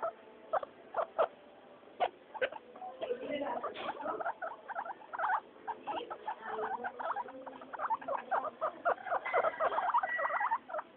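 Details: Noisy floor time for pet guinea pigs Mayumi, Archie and Miyuki: isolated sharp squeaks open, building into a busy run of chirping wheeks and a few drawn-out whistled squeals, with light pattering.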